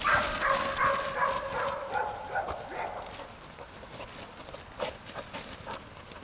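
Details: English springer spaniel with a rapid run of harmonic barks at the start that fade into rustling, noisy outdoor background, a few weaker yips following.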